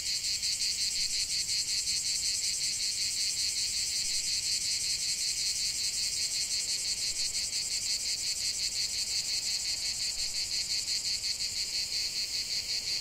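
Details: Cicada chorus heard as a calming nature sound, a bright, strongly pulsed high buzz throbbing at a fast steady rate without pause.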